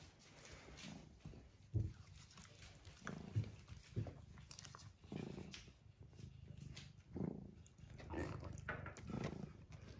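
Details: Domestic cat purring beside an Aga stove indoors on a farm in County Kilkenny, Ireland, while rain falls outside; a low rumbling purr rising and falling in soft surges with the breaths, with faint room noise.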